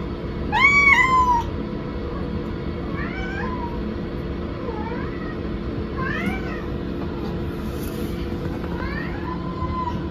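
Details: Indoor pet cat calling after its owner left for the rest room: one loud, drawn-out meow, then four softer, shorter meows every two to three seconds, with a constant low hum behind.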